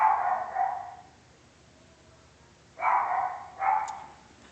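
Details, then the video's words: A dog barks twice at the start, falls silent for more than a second, then barks twice more in quick succession, against a low steady hiss. "Dog Barking"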